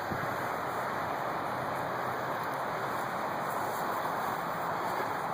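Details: Steady broadband rushing noise like wind or surf, with no animal voice heard.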